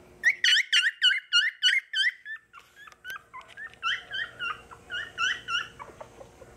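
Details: Eight Beagle puppy littermates at a pet shop give rapid, high whining yips, several voices overlapping in quick succession.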